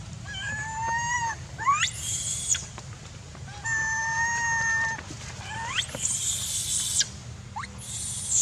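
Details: Young macaque Jinx shouting and crying near a stone while her angry mother weans her, Angkor Archaeological Area near Siem Reap, Cambodia; drawn-out harmonic wails with upward-sweeping screeches, repeated in several bursts over a steady low hum.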